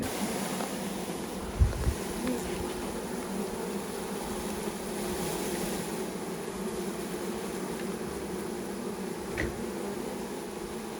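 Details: Honey bees from a newly installed package colony settling into their hive, several thousand of them with the caged queen; a dense continuous droning hum, a couple of low thumps near the start.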